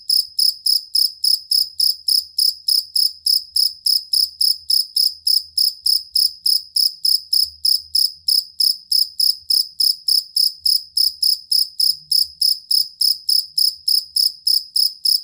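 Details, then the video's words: Jangkrik kalung or jangkrik aduan cricket, prized for its stable, long voice as a songbird tutor: a continuous rhythmic stream of piercing high chirps, three to four each second, with no other sound. "Suara Jangkrik Master Burung"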